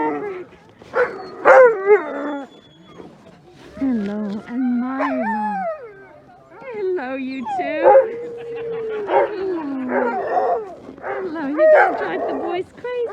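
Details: Alaskan Malamutes and other sled dogs of the Mush Larose Sled Dog Club, Larose Forest, Ontario, in -30 degrees C cold before running: many dogs overlap in excited yelps, barks and sliding howls, with a human voice among them.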